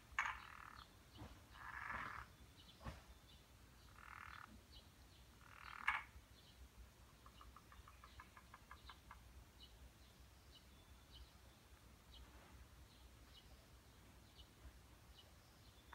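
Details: At a stone garden of Kaizō-ji temple in Nishi-ku, Hiroshima, during the mating season, a Japanese wrinkled frog gives grating, buzzy croaks in short bursts about two seconds apart, then a faster run of dry, clicking pulses, with a quiet outdoor background.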